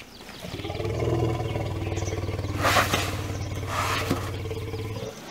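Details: Rescued elephants at an Elephant Rehabilitation Center: a deep, steady harmonic rumble rising and holding for about four seconds with a rough, growling texture, fading near the end.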